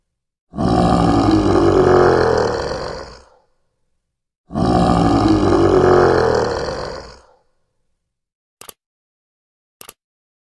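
Two long, deep lion roars, each rumbling for nearly three seconds, then brief clicks.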